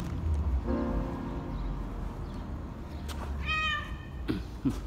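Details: Cat in a car park giving a short, clear harmonic meow partway through, after a fainter earlier mew; a man's voice and low traffic rumble in the background.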